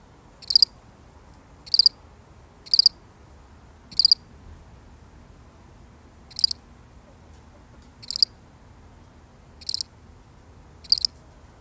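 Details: A solitary cricket producing crisp high chirps, four in quick succession, a pause, then four more spaced more widely; faint low background noise.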